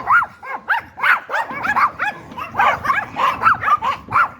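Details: Rapid, excited yapping from a Yorkshire Terrier, high-pitched barks with curved, ringing tones following each other three or four per second without a break.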